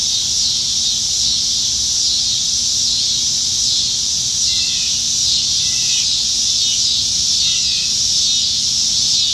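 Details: Cicadas singing up in the trees on a summer evening in Nebraska, July 2019, plentiful in the dog days of summer: a steady, dense, high hissing buzz from many insects, with a few faint short bird chirps underneath.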